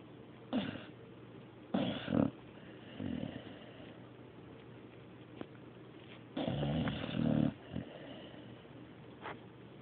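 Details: Mario, a dog, snoring indoors: several uneven rasping breaths, two longer drawn-out ones near the start and a louder double snore later, separated by quiet stretches of low room hum.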